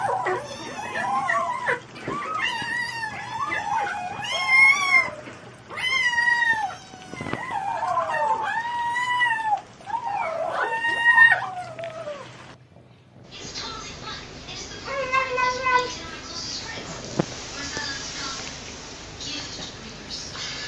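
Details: Mother cats and cats saying "nom nom nom" while eating: a run of short arched mewing growls, each rising then falling, bursting out in quick clusters for twelve seconds, then a cut to another cat with a few tonal calls over noisy background.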